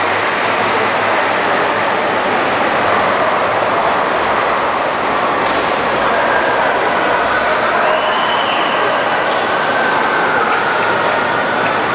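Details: Steady roar of a train or metro car rolling along the rails, with a faint wheel squeal and clatter throughout and no animal voice.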